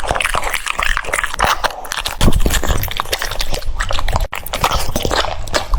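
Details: A French Bulldog munches cucumber, giving sharp crisp crunches and moist smacking clicks in quick irregular bursts, with a brief louder crunch near the middle.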